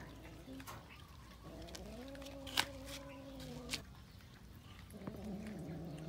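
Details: Cats eating raw fish; one gives a long, drawn-out, wavering yowl lasting about two seconds, then starts a second lower moan near the end, with sharp clicks and chewing noises between.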